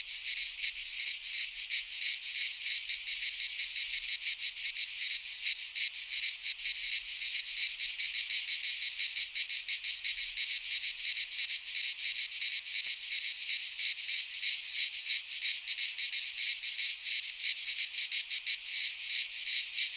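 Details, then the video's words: Midsummer chorus of cicadas in a Greek pine forest, a steady shrill electric buzz throbbing in rapid, fairly even beats of about three per second, unbroken for twenty seconds. "Cicadas singing in midsummer - Nature sounds from the Greek fauna - Sounds of cicadas"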